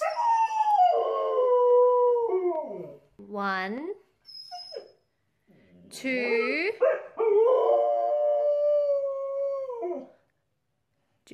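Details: Husky vocalizing in long, drawn-out howls and yowls with sliding, wavering pitch and short breaks between phrases, while a person nearby talks to the dog and counts, urging it to hop out.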